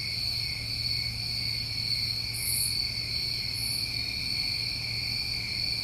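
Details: Crickets trilling continuously through a New England summer night, a bright steady ring on two pitches, two brief high sizzles in the middle and a low droning hum beneath.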